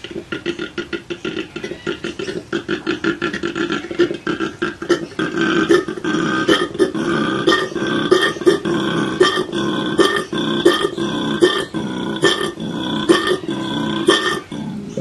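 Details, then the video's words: Koala calling: a rhythmic series of rough, snore-like grunting inhales and exhales, pulsing roughly twice a second and growing louder and denser over the clip. "This Cute Koala is Calling for You!"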